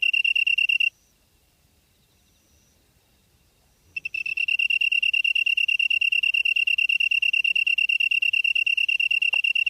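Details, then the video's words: Insect singing in grass at Byeollae-myeon, Namyangju, Gyeonggi-do, Korea, on a September 2016 evening near 8 PM: a high, clear pulsed trill, briefly stopping after one second, then resuming steady and rapid for the rest. "풀벌레 소리/sound of a bug / живущие в траве /虫の音"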